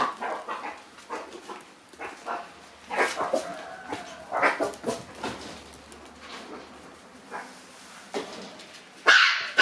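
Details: On her departure morning, Momo, a black Shiba Inu puppy born August 25, gives a rapid run of short, thin yips and squeaky whines, uneven and roughly two per second, ending in one louder sharp bark.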